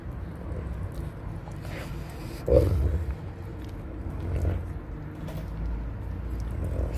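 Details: A Lycan Shepherd father eating whole raw fish gives low, rumbling growls to warn away his begging 7-week-old puppy, who already had his own fish.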